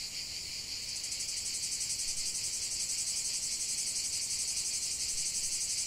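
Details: Cicada song as a massed, sizzling buzz, starting a touch softer then swelling in the first second into a steady, pulsating high whine that continues to the end.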